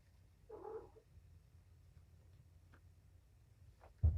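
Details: One of Patience's five young kittens being given antibiotic eye ointment in the afternoon. A single brief, wavering mew near the start, followed by quiet room background, a few soft taps and a sharp knock at the end.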